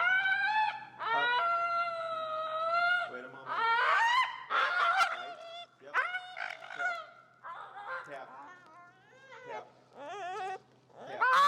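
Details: Finnegan, an extremely vocal feral husky, protests during heel training in Chicago, disagreeing with a behavior being taught. Long drawn-out howling whines with wavering, sliding pitch come in bursts, some held steady and others broken into yodel-like warbles, with brief pauses between.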